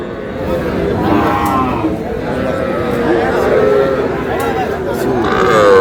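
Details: Cattle at a livestock market on 12 May, where a Comilla farmer buys small bull and heifer calves: drawn-out harmonic moos rise above a constant murmur of bargaining voices and crowd chatter.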